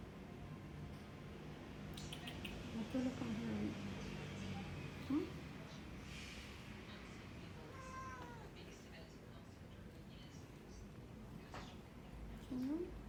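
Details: Burmese cat indoors, apparently wanting to go and wake the baby, gives a faint rising-then-falling harmonic meow near the end amid low room noise, with a few softer squeaks earlier and a person speaking quietly.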